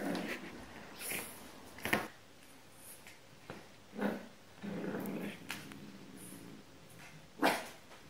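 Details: French Bulldog puppy, ten weeks old, squabbling with a cat over a bed indoors: scattered grumbling growls, brief whines and a few sharp yips, with quiet gaps and small room sounds.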